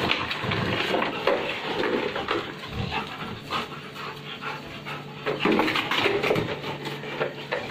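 Rottweilers give rough, excited barks and harsh panting amid scuffling noise.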